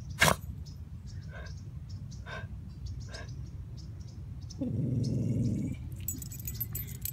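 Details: A Bichon Frise named Truman lets out a short, low, rough growl of about a second after several sharp clicks and taps, with a faint jangling rattle at the end.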